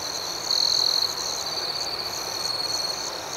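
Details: Nighttime crickets producing a constant piercing tone, one strong trilled burst near half a second, and lighter pulsed chirps recurring roughly every half second above the drone.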